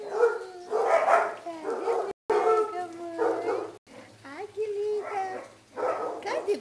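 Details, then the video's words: Basset Hounds playing and partying at a kennel: continuous overlapping baying and howling, drawn-out wavering tones rising and falling, from several dogs together. "bagunça e festa de basset hound"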